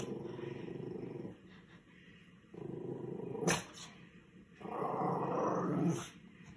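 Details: A female rescue Chihuahua growls indoors while watching squirrels on television. The growls are low and rough and last about a second each. There are three bouts separated by short pauses, and a brief sharp noise comes midway.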